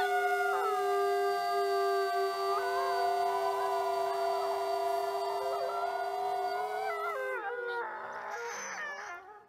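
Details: Several critically endangered Mexican gray wolves (Canis lupus baileyi), in a captive-breeding conservation program, howl together from their den in long, steady, overlapping tones that waver and slide downward, on a windy day.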